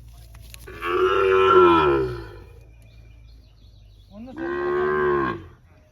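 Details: A Sahiwal bull at a cattle market in Birampur, Dinajpur, Bangladesh, on 24 June gives two long, loud, strongly harmonic moos, each over a second, separated by a short pause with faint background noise.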